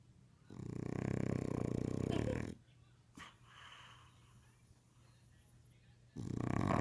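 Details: English Bulldog snoring in its sleep at home, captured on a phone: a long, harsh, rattling snore of about two seconds, a quiet pause with a faint click, then the next rasping snore beginning, indoors.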